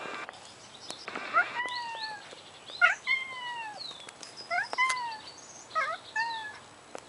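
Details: Male Siamese cat Simba, leashed, encountering the cat Leo: a run of short, falling meows, about six or seven calls spaced irregularly over several seconds, with high bird chirps in the background.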